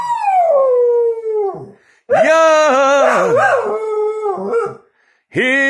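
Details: A dog howls along with its owner's singing indoors: a long drawn-out howl sliding down from high to lower pitch, then wavering, warbling tones blending with a person's sung words, and a fresh howl rising at the end.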